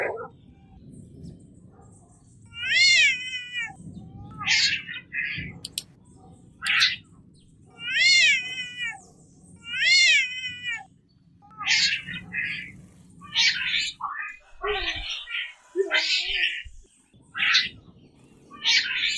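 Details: Domestic cats fighting: short harmonic yowls alternating with harsh noisy hisses and spits, bursts repeated every second or two with pauses, a faint low hum beneath.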